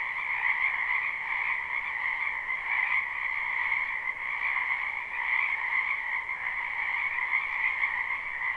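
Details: Many frogs croaking in a spring wetland, recorded live without looping: a dense, unbroken chorus of overlapping trilled calls forming steady bright bands, with a gentle pulsing swell and no other clear sounds.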